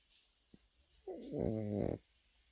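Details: Sleeping Pekingese puppy snoring indoors: one rasping, harmonic snore of about one second, rising then steady, in an otherwise quiet room.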